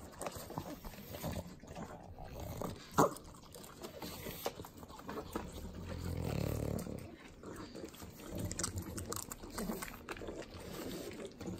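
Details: Three pugs working at butter in Southern California's Inland Empire: continuous sloppy licking and snuffling, a sharp snort near the three-second mark and a longer grunting snort around six to seven seconds.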